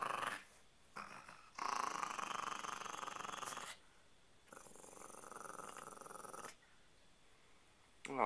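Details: Pet dog growling indoors, one of a chihuahua puppy and a pitbull-chihuahua mix named Mimi and Mia: two sustained, raspy, pulsing growls of about two seconds each, separated by a short pause, with a woman's voice before and after.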